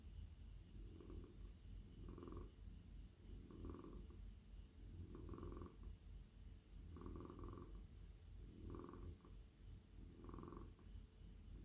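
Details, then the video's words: Male domestic cat relaxing on a lap while stroked, giving a deep, loud, regular purr; rumbling swells arrive about every one and a half seconds, each breath cycle clearly marked, with no other sounds. "Cosy cat purring"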